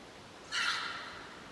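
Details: A wild boar in the Veluwe, 2023, lets out a sudden, hoarse, grating scream of about half a second, trailing off amid quiet, a threat to chase a rival boar away.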